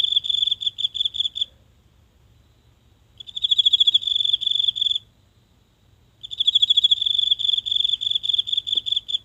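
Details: One insect calling after dark from grass in a small home garden, recorded at close range by phone: three separate bursts of fast, high-pitched, shrill pulses, with quiet gaps of about a second and a half between them.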